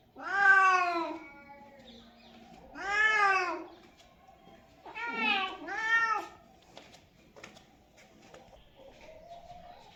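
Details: Cat meows meant to attract cats: four bright, arching meows, the last two in quick succession, followed by soft faint rustling and a weak drawn-out whine near the end.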